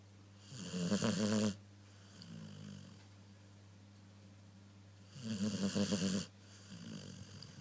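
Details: A sleeping dog snoring loudly: two long rasping inhalations about four seconds apart, each followed by a softer, shorter exhale, with a steady low hum underneath.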